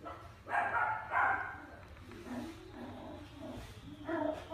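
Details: Pet dog giving muffled, husky barks, two stronger ones early then softer low grumbling woofs and a final bark, against a constant low background hum.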